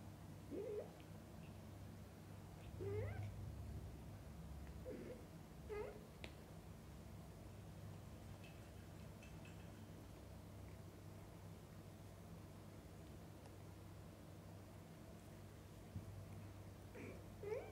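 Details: Cat sounds as a mother cat feeds and bathes her kittens; short nasal meows repeat irregularly, a cluster of four in the first six seconds and one more at the end, over a low constant hum.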